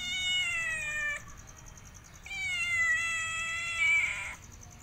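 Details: ['Domestic cat giving two long, drawn-out meows, each held steady for about a second and a half to two seconds and separated by a short pause; the second meow rises slightly in strain near its end; faint steady high-pitched hum in the background.']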